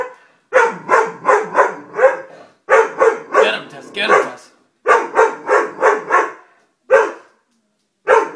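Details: Dobermann barking repeatedly in runs of four to five loud, evenly paced barks, then single barks after short pauses.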